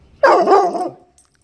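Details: A four-month-old Mastiff puppy gives one loud, sharp yelping bark that slides down in pitch and fades within about a second, with quiet room hush around it and no other sounds.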